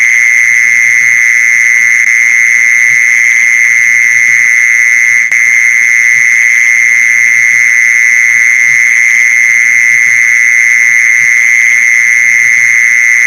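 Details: Steady mole cricket trill played to lure mole crickets: one intense, unvarying high buzz held without a break for the whole stretch, with a single brief click midway and a soft low hum behind.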